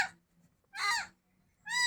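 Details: Cat crying at home after a feeding: a loud, strained, somewhat raspy meow in the middle, with the tail of one meow at the start and another clear meow beginning at the end; faint hum.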